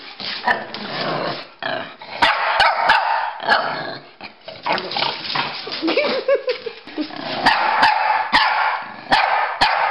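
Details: Pekingese and a Bulldog at play, chasing each other: rough barks and growly yaps come in uneven bursts, a brief whining tone rising then falling midway, with scattered clicks of paws or knocks throughout.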